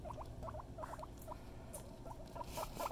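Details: Mama Kona the guinea pig keeps up a steady patter of short, bouncing squeaky notes, several per second, growing louder toward the end, over a low indoor hum.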